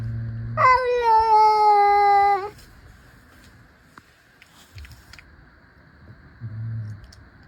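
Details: One of two playful cats facing off with stares and tiny paw swipes gives a long, steady, drawn-out meow lasting almost two seconds. It starts with a quick upward slide, and faint low rumbles follow in a quiet room.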